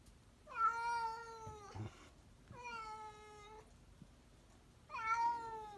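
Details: Three long, steady meows from a house cat, each lasting about a second with a slight downward slide, spaced roughly two seconds apart, with soft shuffling between calls.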